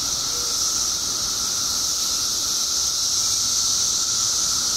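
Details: Illinois periodical cicadas, out in their billions after 17 years underground, sing as one continuous shrill wash of sound with a constant droning undertone.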